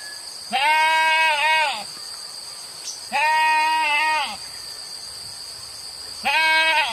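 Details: Goats kept in a village and turned out to graze wild grass fields all day; three drawn-out, tremulous bleats over a second long each, separated by pauses, against a constant high-pitched background hum.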